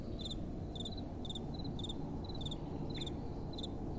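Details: Night-time crickets give brief double-pulsed chirps roughly every half second, high-pitched and regular, with a gentle wind hissing and rumbling underneath throughout.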